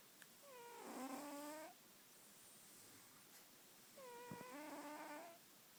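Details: Female pet cat snoring. Two tonal, slightly whistling snore breaths, each about one and a half seconds with clear stacked harmonics, arrive roughly three seconds apart over quiet indoor hiss.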